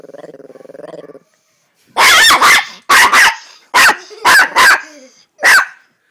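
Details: Chihuahua. A small dog, a Chihuahua, starts with a low, throaty, pulsing growl lasting about a second. After a pause it breaks into six harsh, loud barks, some in quick pairs.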